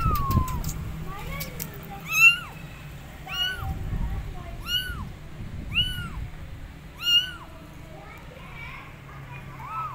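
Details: Abandoned kittens perched on a gate meow loudly for their mother cat: a steady series of five or six bright, arched meows spaced about a second apart, with softer calls before and after over faint low background noise.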